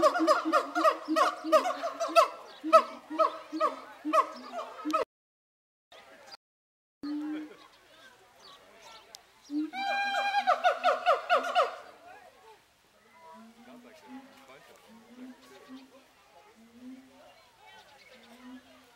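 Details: Zooworld's siamangs, captive, shouting at each other before Zoobilee: a long train of loud, rhythmic barking shouts with booming undertones, a silent break, another shouting burst, then a series of evenly spaced low hoots.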